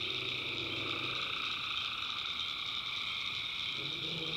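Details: Night chorus of tree frogs from North Carolina backwoods swampland, many callers merging into continuous shrill buzzing layers at several pitches, with weak low droning notes near the start and end.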